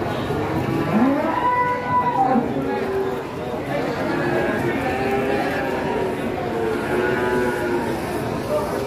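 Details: Several giant cattle gathered together, one giving a rising, harmonic moo early on, then further overlapping bellows through the rest. Steady murmur of people talking fills the background.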